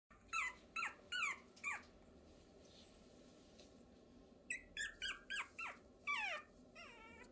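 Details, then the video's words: A Pomeranian puppy, on its fifth day, howls "ao-ao-ao" in thin, squeaky bursts that fall away, pausing between two runs. "새끼 포메라니안 하울링"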